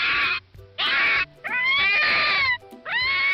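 A fox gives four harsh, hoarse barking cries, each about half a second to a second long, with a faint musical backing underneath.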